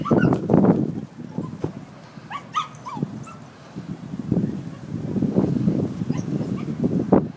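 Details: A small dog, very upset at being tied up and left outside while its people go inside, gives a few brief, high, wavering whimpers and yips near the middle, amid steady low rumbling background noise and thumps.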